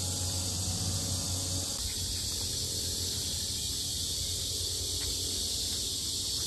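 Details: Cicadas blare at the Sinjeongho lotus grounds in Asan, Korea: an intense, even, high-pitched buzzing wall of sound lasting the whole stretch, with a low hum that drops away early on.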